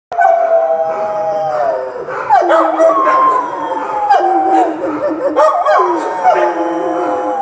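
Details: Dogs howling together: long, drawn-out tones that slide downward and overlap, with new howls rising in at staggered moments, steady and loud throughout.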